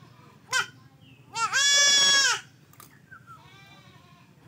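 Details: Buck goat under castration lets out one strained, nasal bleat lasting about a second, preceded by a short cry and followed by a fainter, quieter bleat in the background.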